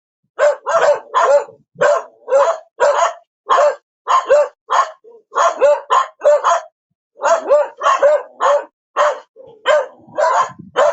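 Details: Dog barking repeatedly, around twenty sharp barks in eleven seconds, mostly evenly spaced with an occasional double bark and one short pause, nothing else audible.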